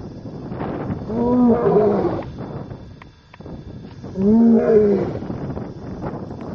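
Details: Male lion in Masai Mara, Kenya, near the Talek gate before sunset, roaring beside a vehicle, perhaps before a night hunt; two rising-falling moaning calls with strong harmonics about three seconds apart, faint background noise.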